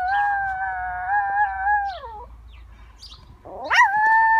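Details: A 4 lb female toy poodle at home sings along to a fire truck siren: a sustained, steady, tonal howl that slides downward, then a sharp rising whoop that settles into a long held note.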